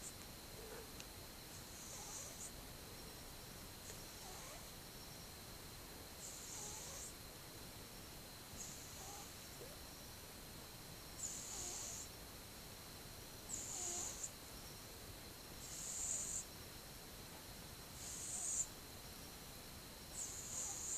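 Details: Gentle snoring from a sleeping one-year-old cat, filmed 8 October 2015: airy, whispery exhalations arrive at an even pace of about one every two and a half seconds, growing slightly louder toward the end.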